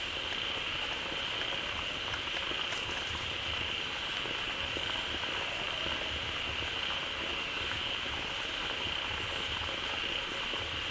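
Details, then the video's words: Frogs crowding a pond just refilled by falling water call together in a thick wall of sound: a constant high buzzing drone layered over rhythmic low throbbing notes, with no gaps. "เสียงฝูงกบร้องดีใจได้น้ำ Relaxing Sounds of Frogs"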